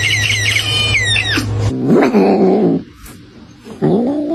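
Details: Domestic cat giving a short drawn-out meow after a burst of high warbling tones over a low steady hum, then a quieter pause and a rising meow at the end.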